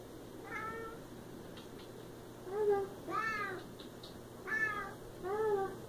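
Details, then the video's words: Siamese cat meowing repeatedly, about five drawn-out harmonic meows over six seconds, some rising then falling, others short and bent downward, with a steady low hum in the background. "Siamese Cat & Cat sounds"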